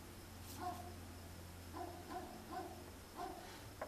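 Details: Several dogs barking at night in a dark outdoor setting, recorded on a Sony DSC-H200; short harmonic barks in small bursts around one and two to three seconds apart, with a steady low hum of traffic beneath.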